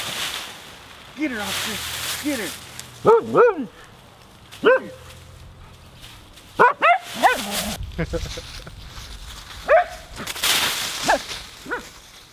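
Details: Husky Nora romping in a leaf pile, giving scattered short wavering yips and whiny, bending calls, interrupted by loud crunching bursts of rustling leaves as she plays.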